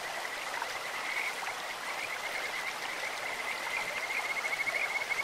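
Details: In a clear stream, Kajika frogs give scattered high chirps that build into a fast, evenly pulsed whistling trill toward the end, all above the continuous babble of running water.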